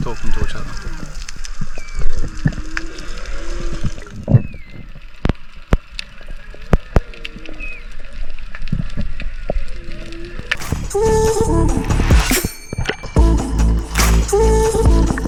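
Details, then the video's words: Distant whales heard underwater near the islands off Exmouth, Western Australia, around midday on a dive in murky, swelly water, moan and whoop in faint sliding tones over crackling clicks, then a man talks. "If you listen closely, you can hear the whales. Just about every dive I did, you could hear them in the distance talking to each other."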